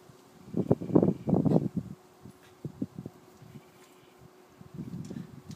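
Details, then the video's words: Two Schnauzers, six-year-old miniature Ellie and five-month-old giant Jett, wrestling playfully in a garden: rough, low growly bursts packed into the first two seconds, then a few short grunts, and softer rumbling again near the end. "Schnauzer Wrestling"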